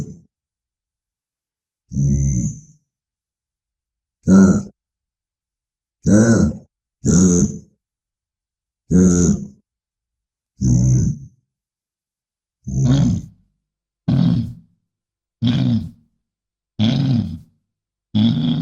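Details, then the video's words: Bison grunts: deep, rumbling, low-pitched grunts, about a dozen short separate bursts roughly every one to two seconds with silence between, each with a faint hissy upper edge. "SOM DE BISAO"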